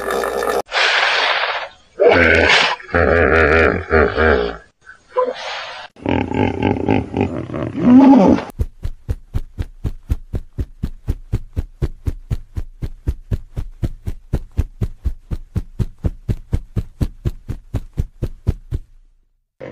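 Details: Hippopotamus roaring: loud, harsh, broadband bellowing bursts with deep low tones for about eight seconds, then a long, steady run of rapid pulsed grunts, about four per second, slowly weakening toward the end.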